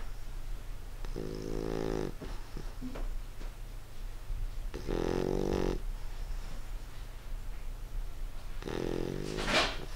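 An English Bulldog snores in deep, rattling breaths, one roughly every three to four seconds.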